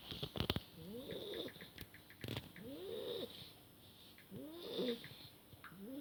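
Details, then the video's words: Sleeping Beagle puppy named Schneider snoring: soft whistling wheezes with rising-falling tones, about three snore cycles in six seconds, with a few sharp clicks and taps in the background. "Our puppy Schneider snoring haha"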